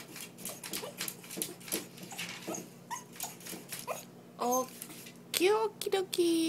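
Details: A female Lhasa Apso whines in high, rising and falling whimpers, begging to be let out.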